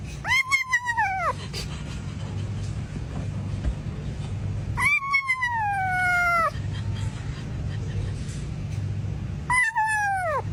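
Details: Cat meowing three times, the middle call longer and slowly descending, the others short and falling, separated by quiet gaps with faint background hum.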